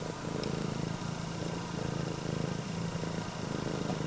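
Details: Red tabby and white female Scottish Fold with upright ears purrs as a greeting to its owner, a continuous low buzzing rumble with a fine rapid flutter and gentle in-and-out breath changes.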